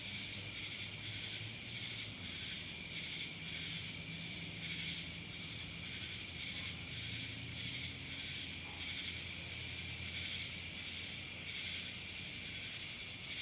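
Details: Cicadas heard in Dallas, Georgia, a long, even, high buzzing wall of sound that pulses gently about once a second, with a constant sharp whine persisting across the whole stretch.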